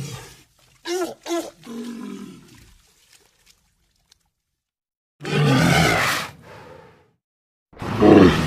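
A walrus gives short, harsh, roaring bellows, with a few brief, tonal, groaning calls between them.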